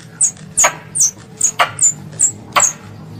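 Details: Squirrel, described as a pest, calling its mother: a run of sharp, very high chirps, each slurring quickly downward, about seven in three seconds, with faint clicks between and a low steady hum beneath.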